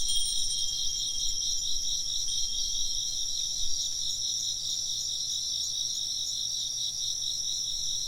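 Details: Insects keep up a high, rapidly pulsing chirping chorus while clear ringing wind-chime tones sound near the start, the chorus continuing steadily after they fade.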